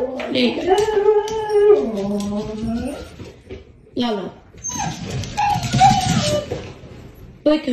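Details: Pet husky giving a long, wavering howl-like vocalisation that rises and falls, followed by shorter whining cries, with a person talking over it.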